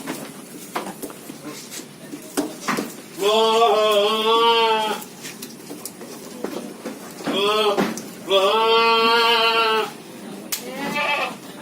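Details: A cute long-eared goat gives long, wavering nasal bleats, asking to be fed.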